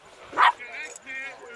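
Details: A 4-month-old Boston Terrier puppy meets Alaskan Malamute Sojou at a field lacrosse game, mistaking Sojou's tail for another dog. One short, sharp, loud bark, then quieter tonal sounds with voices in the background.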